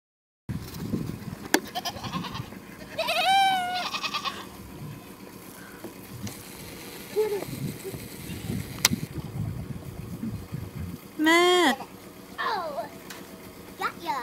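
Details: Goats calling with strange, wavering bleats: a harmonic-rich cry near the third second and a louder rising-falling bleat around eleven seconds, with shorter calls between over a low rumbling background.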